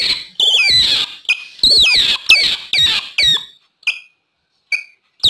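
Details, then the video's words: Otter calls used to lure wild otters: shrill, high chirps with quick downward-bending sweeps in a dense burst, then a few isolated short chirps separated by silent gaps. "SUARA OTTER BERANG2 PALING AMPUH UNTUK MEMIKAT BERANG2 LIAR."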